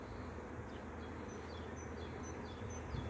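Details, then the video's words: A bee swarm gives a thick, constant low hum with a rough texture. Faint high bird chirps are scattered over it. "BEE SWARM 01..... ΑΦΕΣΜΟΣ"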